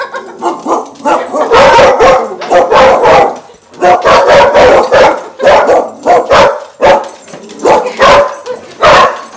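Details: Dog barking as it attacks a balloon: loud, harsh, rapid barks in rough clusters, with a brief pause midway before the barking resumes, then spaced single barks toward the end.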